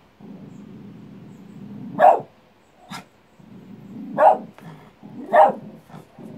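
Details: Barking dog answering its own echo: three loud single barks about a second or two apart, with a faint shorter yap in between and low background noise.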